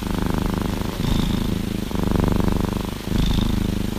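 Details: An orange tabby cat cuddled inside its owner's hoodie purrs steadily, a deep rumbling drone that swells and eases with each breath.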